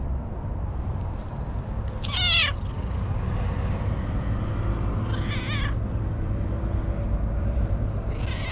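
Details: Joyful stray cat on a wall calling out as it is petted, captured on a GoPro HERO8 Black: three clear, wavering meows roughly three seconds apart, the first loudest, over a low steady rumble of background noise.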